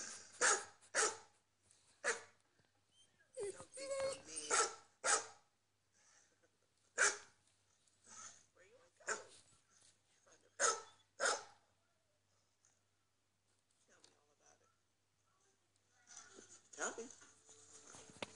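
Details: Barking of domestic dogs played back through a computer for a watching house dog; loud single and paired barks come irregularly for about eleven seconds, then fade to quiet with faint indistinct sounds near the end.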